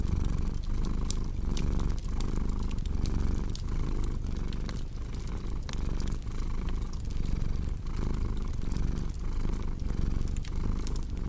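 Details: Low, continuous purring from a cat, pulsing regularly with each breath in and out, accompanied by the crackle and occasional sharp pops of a fire.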